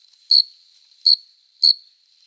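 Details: Shrill courtship stridulation of an adult male cricket, a familiar summer-night sound produced with the forewings: four crisp, very high chirps in quick succession, evenly pitched and short, against near silence.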